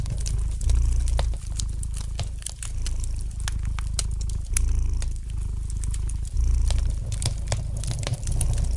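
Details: A relaxed domestic cat purrs by the fireplace, its soft rumbling drone pulsing with breathing, louder surges near one, four-and-a-half and six seconds, amid light crackling and popping of the fire.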